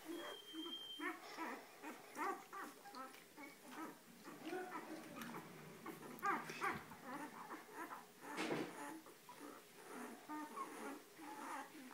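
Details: A litter of Weimaraner puppies makes soft, overlapping squeaky whimpers and little grunts, repeating constantly and faintly at close range, with some rustling.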